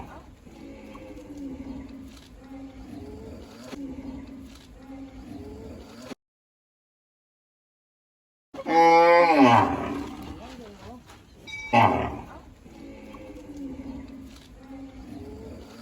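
A cow gives a loud, drawn-out moo, then a second shorter bellow over low background rumble.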